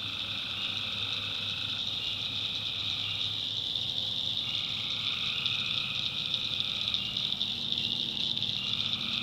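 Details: Tree frogs at night in a North Carolina backwoods swamp: a ringing high chorus with several long buzzy trills that start, pause and resume, over a soft low background hum.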